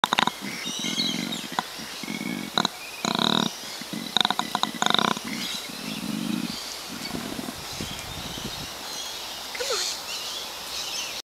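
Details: A male koala gives the tail end of the characteristic male bellow mating call, a rough, pulsing series of snore-like grunts and rasps.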